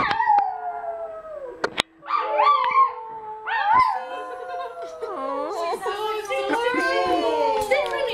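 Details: A pet dog at a sleepover performs a singing trick its owner taught it. It gives long, wavering howls that slide down, then rise and fall in short bends, with voices talking over the howling.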